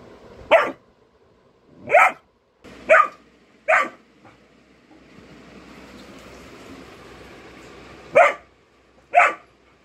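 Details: Golden retriever puppy barking in alert during a prank: six sharp single barks spread over about ten seconds, irregularly spaced, with a soft hiss of background noise in between.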